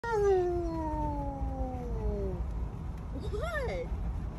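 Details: Alaskan Malamute howling indoors because he wants his own window seat; one long tonal howl sliding slowly downward, then a short rising-falling whine, over a steady low hum.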